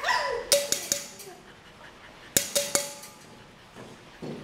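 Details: Purebred female Rottweiler in Pleiku, Vietnam: a falling whine, then two clusters of sharp short barks and knocks two seconds apart, followed by a quiet stretch.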